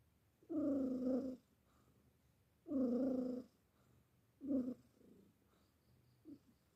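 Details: Sleeping cat named Simba snoring: drawn-out buzzy nasal rumbles, each lasting nearly a second, returning about every two seconds, followed by a shorter snort and fainter soft breaths in a quiet room.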